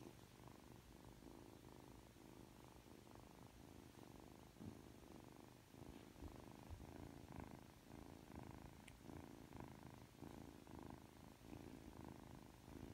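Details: Just awake and cuddly, three-month-old Ragdoll kitten Aki purrs continuously. The deep, throbbing purr rises and falls in regular breath cycles for thirteen seconds, growing slightly louder in the second half.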